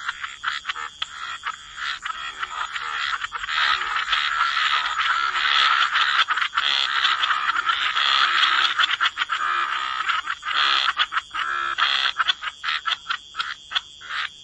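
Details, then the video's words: Croaking frogs in a wetland chorus, grating calls piling into a near-continuous roar through the middle, then breaking into separate quick croaks toward the end. "Frog Lullaby: Relax to the Sound of Croaking Frogs"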